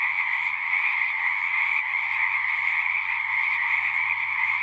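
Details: Frogs sing from a pond in a horse pasture, recorded on a Zoom 6, their massed trilling calls running continuously at an even volume, with a soft low hum in the background.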